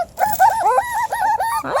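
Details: Five-week-old Beagle puppies, very vocal and active after a meal of kibble and raw food, give a run of high whining yips and squeals that rise and fall in quick wavering bursts.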